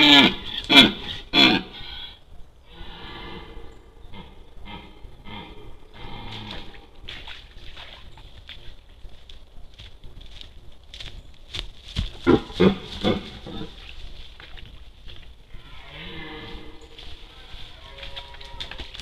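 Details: Red deer during the rut, captured by an Outlife HT-001 trail camera: rough, deep grunting bursts with stacked harmonics open the recording and return near twelve seconds, with a steady high electronic whine running throughout.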